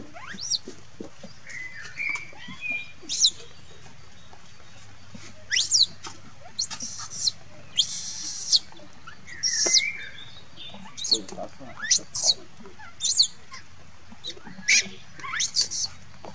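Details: Monkey crying and calling for its mother: repeated short shrill screeches and squeals, some noisy bursts and some thin rising-falling whistled wails, coming in irregular clusters every second or so, with faint low background hum.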